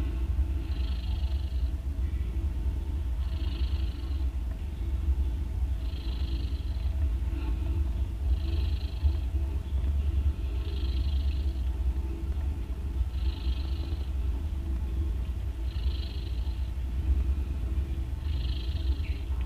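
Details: Nursing mother cat snoring as her three day-old kittens drink milk; constant deep rumbling underneath, with a higher hissing breath rising roughly every two and a half seconds, eight times in a steady rhythm.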